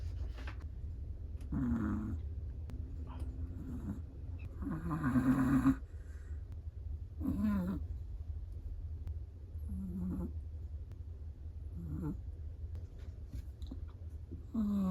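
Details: Chihuahua asleep and snoring: irregular buzzy, whistling breaths, some with a thin rising squeak, spaced about one to two seconds apart over a constant low background hum.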